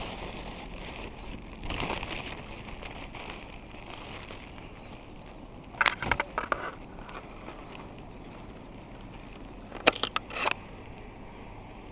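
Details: Outdoor rural scene during wild honeybee harvesting: low steady background hiss broken by scattered crackling and rustling bursts near two, six and ten seconds, with no animal voice standing out.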